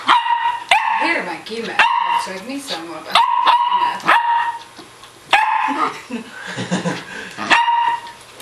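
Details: Norwegian Lundehund at play, wrestling with a friendly Bengal cat; repeated shrill yips and barks roughly every one to two seconds, mixed with low grumbles, scuffling and a person talking softly.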